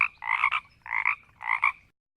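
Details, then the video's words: Frogs in a marsh croaking and growling slowly: three rasping, pulsed croaks, each about half a second long and spaced roughly 0.6 seconds apart, followed by silence. "Frogs in a marsh croaking and growling slowly"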